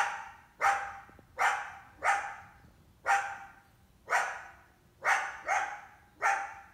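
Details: Coyote in summer, a female trying to hunt an indoor cat, at least one big pup with her; nine sharp barks, a few coming in quick pairs, each ringing briefly before fading, in a quiet background.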